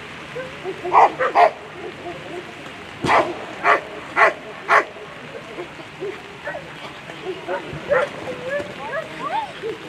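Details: German Shepherds at a world championship agility competition: a run of sharp, short barks, roughly one every half second to second, then fading yips, over a background of crowd murmur and a spoken voice.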